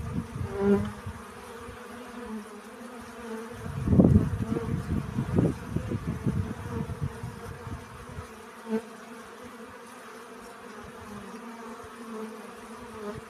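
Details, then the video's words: Bee buzzing while collecting pollen: a steady droning hum with layered tones that swells and fades as it moves, plus bursts of low rumbling thumps in the middle stretch and a brief louder buzz near the end. "Relaxing Bee Sounds. Сбор пыльцы."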